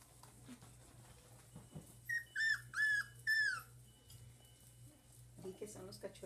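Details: One-month-old dachshund puppies whimpering: a run of four high, whistled cries that bend down in pitch, close together in the middle of the clip, with French speech and faint shuffling around them.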